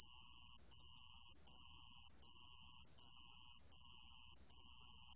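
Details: Sand cricket calling: a high, steady, ringing trill broken into long bursts of about 0.7 seconds, each separated by a brief silent gap, repeated evenly. No other sounds are heard.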